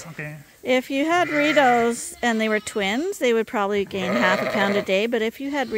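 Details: Several lambs bleat during bottle feeding at Ewetopia Farms, still on their mothers but topped up twice daily; overlapping wavering, nasal bleats rise and fall, with a low human voice talking beneath.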